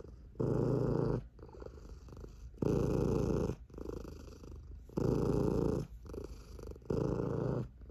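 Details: Sleepy, chubby tabby cat purring with a booming, rumbling sound: loud bursts about a second long alternate with quieter breathing phases, cycling roughly every two seconds.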